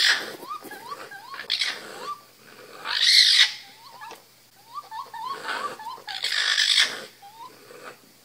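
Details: Baby raccoons in an attic give quick, rising chirps, almost birdlike, broken by harsher squealing bursts.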